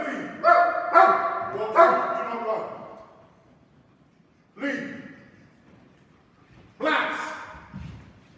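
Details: Two dogs in protection training performing a synchronised hold and bark on command: a burst of three quick, rough, harmonic barks, then a pause, and two more single loud barks about two seconds apart.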